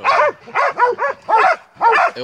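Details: Montenegrin Mountain Hounds from the kennel 'Sutorman' out hunting; a run of about six loud, harmonic, slightly wavering barks or bays in quick succession, roughly every third of a second, with short pauses between them.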